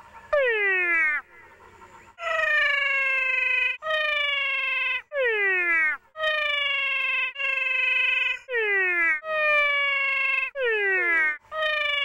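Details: Two cat frog species call side by side in Paraguay, sounding like crying cats: about nine loud, rich wails in twelve seconds, some dropping steeply in pitch, others held nearly level, each roughly a second long with brief pauses between.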